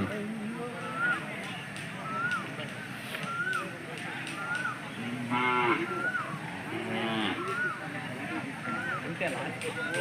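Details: Hallikar cattle at the weekly Sunday cattle market in Jodugatte, India; two short harmonic moos sound around the middle, while repeated rising whistle-like tones, people talking and crowd noise fill the background.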